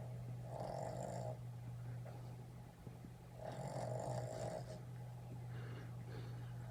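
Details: A red Boston Terrier puppy snores while sleeping and dreaming, in long, raspy rattling breaths with a low steady hum beneath.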